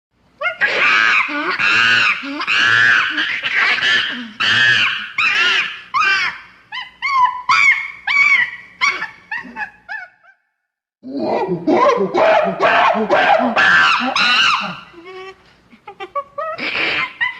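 A monkey gives loud, harsh, piercing screams in rapid, uneven bursts.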